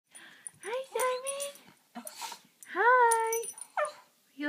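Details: A pet dog 'talking' when especially happy: two drawn-out, moaning, howl-like vocalizations that rise then hold a steady tone, separated by brief breathy sounds and a soft short yelp, with quiet human voice around them.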